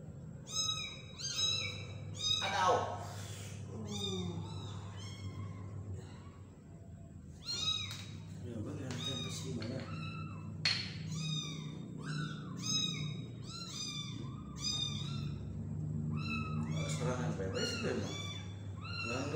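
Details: Tiny kitten hand-fed by people, giving insistent high-pitched mews with bent, arching pitch, dozens in close succession, interrupted by human speech and brief rustling noises throughout.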